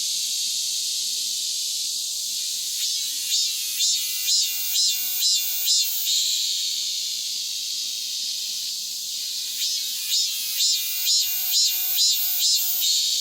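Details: After the monsoon, a cicada sings powerfully. A high hiss swells into two runs of strong, evenly spaced pulses, about two each second, with a ringing tonal edge.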